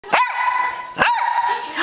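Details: Armenian puppy dog giving two drawn-out high whines, each held steady for about three-quarters of a second with a sharp onset, while a person coos and offers a cookie.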